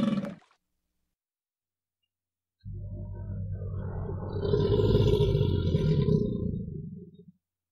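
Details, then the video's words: In a river, an American alligator lets out one long, deep, rumbling roar of nearly five seconds that grows louder midway, after a brief cut-off sound and a silent gap. "American alligator call"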